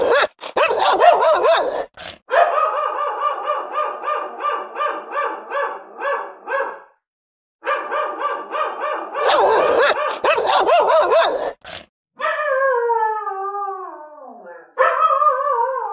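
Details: Angry dogs barking, recorded for real: fast bursts of harsh, rapid barking broken by short pauses, followed by long falling whines near the end.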